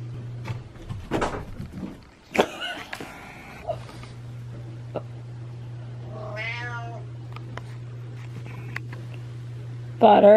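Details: Domestic cat indoors with after-poop zoomies: scattered thumps and scrabbling, then a wavering, drawn-out meow around six seconds and a sharp cry at the end, over a steady low hum, with a person calling the cat's name.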